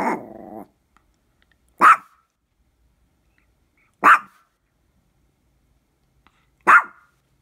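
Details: A Maltese dog, described as mean and growling: a short rough growl opens, followed by three sharp single barks spaced about two seconds apart, with silence between.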